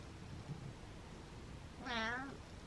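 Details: Butters, a male pet cat, gives his first happy meow in a while: a single drawn-out, tonal meow near the end, steady in pitch and rich in harmonics. Quiet indoor room noise fills the background.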